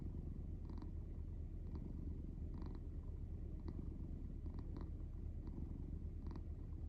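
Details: Cat in deep sleep snoring steadily, a low rattling drone that never breaks, with soft intermittent clicky breaths rising above it at irregular intervals.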